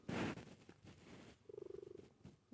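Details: Female cat napping comfortably on a futon after dinner indoors: a loud, noisy burst at the start, then a soft low rumble and a steady, fast-pulsed purr.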